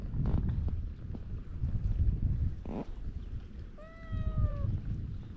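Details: Feral cat on a cat island giving a single drawn-out meow, clear and slightly falling in pitch, under a second long near the end, over steady low wind rumble and outdoor noise; recorded with a GoPro HERO8.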